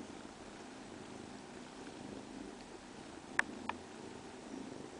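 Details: Soft continuous cat purr, a steady low rumble without pauses, broken only by two brief sharp ticks near the end of the stretch.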